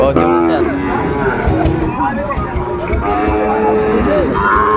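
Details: Sahiwal bull calves traded at the Ambari market in Dinajpur, Bangladesh, on a Monday morning market opening in February 2026. Several brief, bending moos overlap with steady chatter from the crowd, and a faint hiss sits above.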